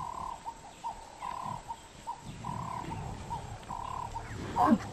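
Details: African wild dogs (Lycaon pictus) hunting a buffalo calf give short, steady mid-pitched hoots and squeaky notes, some drawn out, over a low rumble.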